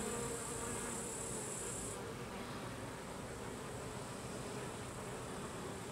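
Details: Carniolan honey bees, Apis mellifera carnica, as workers expel drones from the hive: a dense, steady, low buzzing hum of many bees throughout, with a thin high whine in the first two seconds.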